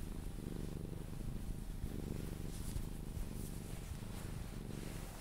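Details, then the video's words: Cuddled Sphynx cat purring on the way to sleep: continuous deep rumbling purr pulsing in breath cycles about once a second, soft rustle of handling in the background. "CUDDLING MY SPHYNX | 10 MIN CAT PURRING CUDDLES E KISSES SOUNDS"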